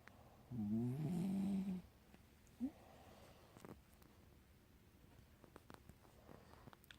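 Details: A sleeping pet dog named Sweetie, lying with her owner, gives one long, low, rumbling snore of about a second and a half, with a short faint snort after it, then quiet room sound.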